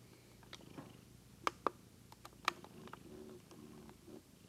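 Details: Daisy, a pet cat, purring indoors in a small room: a soft, steady rumbling purr in the second half, preceded by a few sharp clicks and taps.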